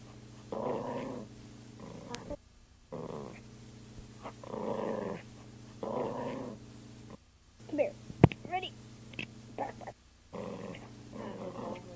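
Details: A poodle growling while playing, recorded in 2001: repeated short rumbling growls in bursts, broken by brief silences, with a person's voice and higher squeaky sounds mixed in near the middle.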